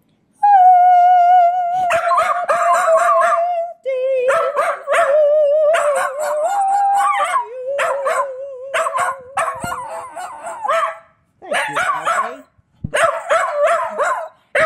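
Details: Delphi the Keeshond howling along while people sing Happy Birthday to another Keeshond named Po; a long wavering tonal howl that rises and dips, broken by short pauses, mixed with human singing voices.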